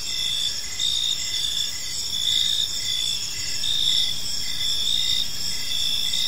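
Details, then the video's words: Evening chorus of crickets in a quiet park, dense shrill trilling held high and constant, with short regular pulses beneath recurring roughly every second; faint low rumble underneath. "Park Serenade: Cricket Sounds in a Peaceful Park | Evening Ambience"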